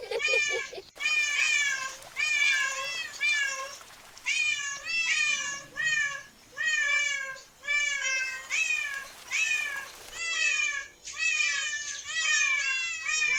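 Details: A group of cats in a park. Insistent meowing runs on throughout, roughly once per second. Each call rises and then dips in a nasal, wavering tone, with an occasional short break between bursts.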